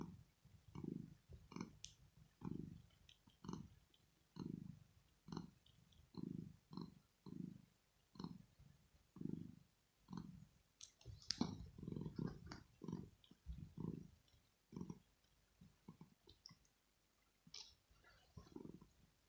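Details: Pet cat Rosetta purring in her sleep, a sign of pleasure or relaxation. Low pulsing rumbles repeat steadily with each breath, alongside faint scattered clicks and rustles close by.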